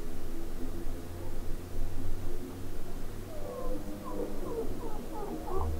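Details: Two chinchillas in neighbouring cages trade short, high squeaky chirps that bend up and down over a steady low hum; one squeaks and the other answers from one cage over, then the first darts off to inspect.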